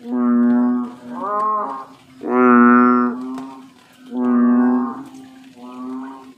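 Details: A bullfrog gives low, mooing, cow-like calls, five resonant, strongly harmonic notes within about six seconds, the third loudest and longest, with short quiet gaps between them.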